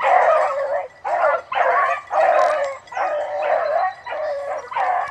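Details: Bluetick beagle aged nine months and leading the pack while chasing a rabbit gives drawn-out, loud bays, each about half a second long, repeated in a steady rhythm with brief gaps between.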